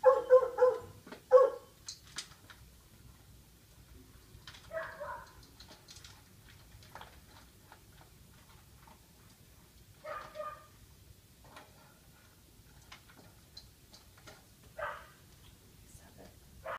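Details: Female Siberian Husky shelter dog, fostered at a training and daycare ranch in Newburg, Maryland, gives two quick loud barks, then scattered single softer woofs every few seconds amid quiet indoor background.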